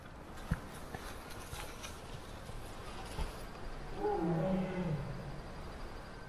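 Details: At midnight by a campsite, two tigers call to each other with low, drawn-out, rough moans that rise and fade over about a second. A faint hiss of night air runs beneath, and deer give tiger alarm calls.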